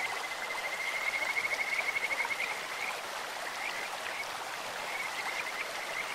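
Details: A Kajika frog in a clear mountain stream gives a sweet, rapid pulsed trill during the first two and a half seconds, then only scattered soft notes remain over the constant hiss of flowing water.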